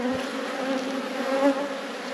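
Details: Honey bees humming inside a busy apiary hive during an inspection of nearly full honey frames; a steady droning buzz with bands near 250 and 500 levels, a faint hiss above, no voice over it.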